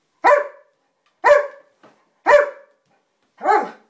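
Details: Indoor German Shepherd answering the spoken sum two plus two with four clear, evenly spaced barks roughly one second apart, each bright and harmonic, followed by praise from a person.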